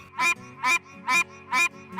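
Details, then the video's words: A Pine Barrens treefrog in its Pine Barrens habitat in New Jersey gives nasal, honking quonks, repeated steadily about twice each second. "Do you hear that? That is the call of the Pine Barren tree frog."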